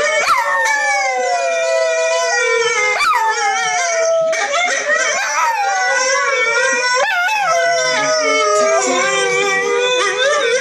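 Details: A female Yorkshire Terrier howls in long, wavering tones that slide up and then fall away, prompted by sounds played from a computer.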